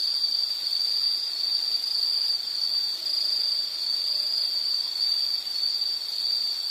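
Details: Insects calling outdoors as a calm background for study or sleep: a steady, high, unbroken buzzing trill holding one pitch throughout, with faint higher overtones and no other clear sounds.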